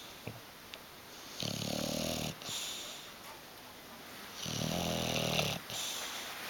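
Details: Hugo, a pet bulldog asleep on a sofa and refusing to wake or move, snores indoors in two long, rough, rasping breaths about three seconds apart, each lasting roughly a second, with quiet room tone between.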